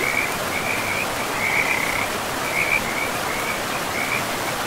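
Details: Pristine forest riverbank with frogs: a run of short, rattling, mid-high croaks repeated roughly every half second to second, set against the even hiss of the river.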